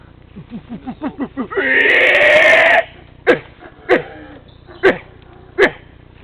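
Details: Howler monkeys at Tikal, Guatemala, roused by a guide's clapping and noises: a run of short rising squeaks, then a loud, harsh, pig-like squealing burst lasting about a second, followed by scattered sharp calls.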